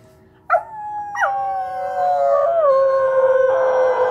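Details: A dog howling along with its owner: after a sharp onset, long drawn-out tonal howls with rich harmonics that hold steady, then slide down, settling into a sustained, slightly wavering note.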